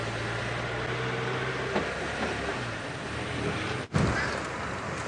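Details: Steady vehicle engine rumble with broadband road noise and a brief dropout, no animal voices heard.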